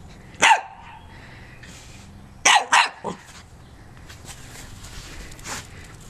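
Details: Barking from Joy, a little corgi out running: one sharp bark, a pause, then a quick run of three barks, with quieter rustling and movement noise afterward.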